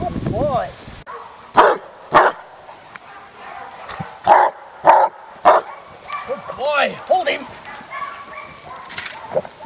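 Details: Presa Canario Winjimlands Hank the Tank during AVD e.V. protection work training at De la Arena field in Germany: about five loud, abrupt barks in uneven bursts, some close together, others seconds apart, with a man's voice talking between them.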